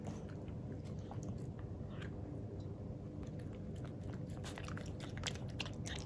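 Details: Black-and-tan Miniature Pinscher Jiro, a young male with an uncut tail, licks his first taste of unsweetened pure-milk yogurt indoors. His tongue makes busy, moist clicking and slurping, continuous and close-miked.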